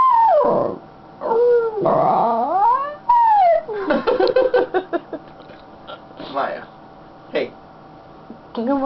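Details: Happy female Schnauzer on her owner's lap, making a chatty run of rising and falling whines and yips, then quick stuttering yelps, while a woman talks to her now and then.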